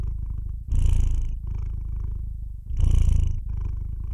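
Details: Purring house cat, a close, low vibrating drone that rises into two stronger bursts about two seconds apart, quieter rumbling purr filling the gaps between breaths.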